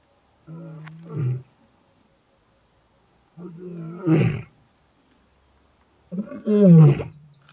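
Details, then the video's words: A big male lion in Greater Kruger National Park gives deep, moaning contact calls, each swelling into a louder grunting roar. "big male lion contact calling in greater kruger national park"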